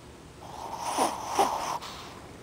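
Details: Ozzy, a Shih Tzu, snoring while sleeping with eyes open; two soft, breathy snorts about half a second apart, each a short rasping rush of air, indoors and otherwise quiet.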